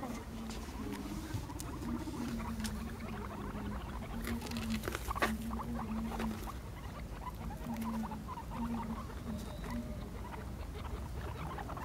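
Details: Guinea pigs at play, five animals chasing one another in a line; a low purring rumble pulses in short bursts about every half second, over busy pattering of feet and faint clicks.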